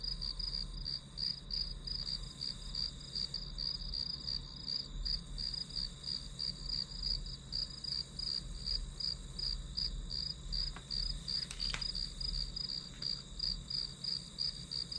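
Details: Grass insect chorus recorded as white noise for studying: shrill rhythmic chirps run continuously, roughly three per second, with a faint low hum and a couple of brief clicks near the end.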